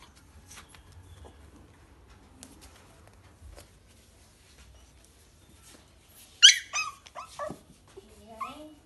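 Yorkshire Terrier puppies give a few high, thin yelps and a falling whine after a quiet start.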